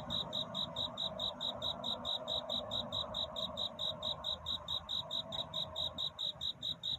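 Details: Cricket courtship song on a night scene: a clear, high, pulsed chirp repeated quickly and evenly, a little over two beats per second, over a gentle mid-range hiss.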